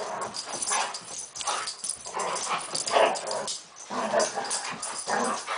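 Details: Poodles playing at war after one stalks the other. Snarling growls and whiny yelps rise and fall in bursts about every second, with scrabbling and thumping between them.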